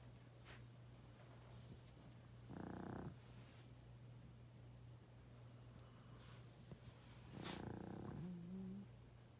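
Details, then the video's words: A 12.5-year-old male pug snoring loudly in his sleep: two rough, buzzy snores about five seconds apart, each roughly half a second to a second long, over a steady low electrical hum in a quiet indoor room. "Pug play, sleep 😴 & snoring loud"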